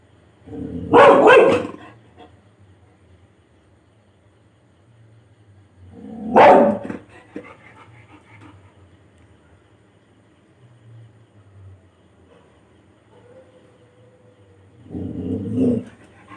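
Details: Labrador Retriever barking to wake others after waking up itself; three short loud broadband barks spaced about five seconds apart, with a person urging it to bark and faint music in the background.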